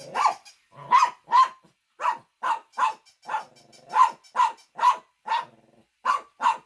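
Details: Pet Shih Tzu giving a long run of short, punchy barks, roughly fourteen in under seven seconds, spaced unevenly with brief pauses and a faint growly undertone between some barks.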